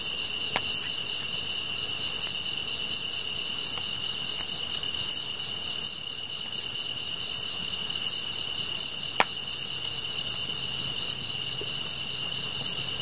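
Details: Insects chirping, with a steady high trill continuing throughout and a sharp high chirp repeated about every three-quarters of a second; occasional faint clicks and crackles are heard.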